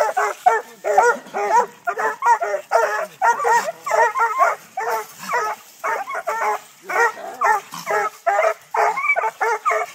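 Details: In Texas, young Treeing Walker Coonhounds at six months tree a live-trapped coon in training, giving a long continuous chorus of overlapping, ragged barks, close to two per second, with a few higher yelps.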